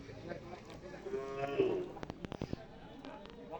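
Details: Cattle at the Saptibari Qurbani cattle market in Lalmonirhat, Rangpur, Bangladesh, 2025: a drawn-out, low, droning moo swelling in the middle, with people talking and clattering noises of the busy market around it.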